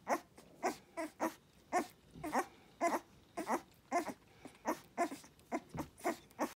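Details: Dogue de Bordeaux puppies feeding from their mother, giving short squeaky grunts and whimper-like sounds in a steady stream, roughly two per second, with smacking between them.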